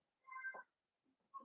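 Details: Four-week-old Cavalier King Charles Spaniel puppies in a home puppy pen, meeting other dogs and trying puppy mash: a soft, short, harmonic whine that wavers briefly, followed by a fainter second whine.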